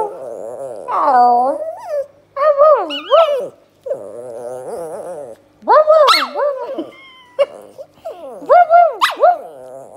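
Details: Pet dog answering a person's imitation bark with loud, wavering howl-like yowls and whines, pitch swooping up and down in long harmonic-rich phrases separated by short pauses, sounding almost like talking.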